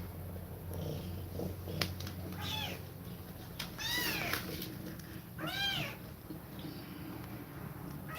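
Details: Domestic cat breathing fast while nursing her kittens; three arched, tonal meows rise and fall at scattered moments over a steady low hum and faint rustling.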